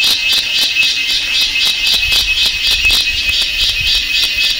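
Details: Cicada calling in India at Kodaikanal and Thekkady, 2014: a loud, continuous high buzzing pulsed in rapid regular beats, with a steady tone band running underneath throughout.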